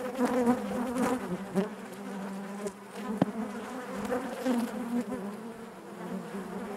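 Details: Honey bees in their hive give a continuous low buzzing drone with wavering pitch, a few louder close passes early on and a brief click near three seconds.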